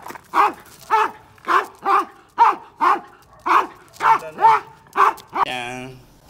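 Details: A female Akita, grown very large yet still a child at heart, barks repeatedly in short, mid-pitched woofs, roughly two per second, before a human voice and a burst of music come in at the end.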